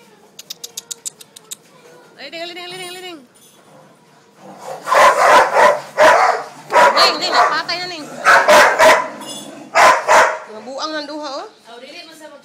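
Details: Labrador Retriever dog barking in loud, broadband bursts, about six sharp barks spaced roughly a second apart over several seconds, preceded by high yips and overlapped by people talking and calling out in Tagalog.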